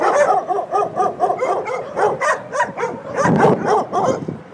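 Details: Dogs waiting for their owners at a doggie daycare in San Antonio, Texas, barking continuously in a dense run of quick repeated barks, several voices overlapping, louder toward the end.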